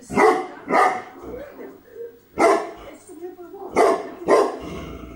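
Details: Bagira, a Tibetan Mastiff from Greece, barking in pairs and singles: six booming barks spread over five seconds with irregular gaps and faint murmuring between them.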